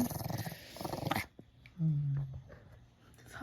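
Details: Puppy at feeding time indoors, making a rapid pulsing growl for just over a second, then a short low hum-like tone, amid a person's speech and soft background music.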